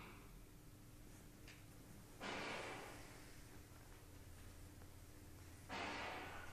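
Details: Bengal cat named Spooky, hostile toward a neighbour's Persian cat behind glass indoors; two sharp, breathy hisses about three seconds apart over a low room hum.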